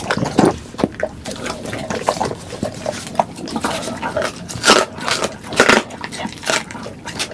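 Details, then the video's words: Eating sounds from pet pit bulls Duggee and Vivi, recorded close up for ASMR: loud bursts of crunching and wet smacking every half second or so, with sharper bright crunches around the middle. "이 소리 진짜 강아지 맞아요?"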